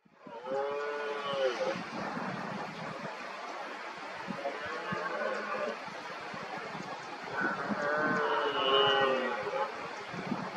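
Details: Several red deer stags roaring during the rut as rivals work each other up around an injured dominant stag. Deep, drawn-out harmonic bellows overlap, some rising then falling, from more than one animal across the whole stretch.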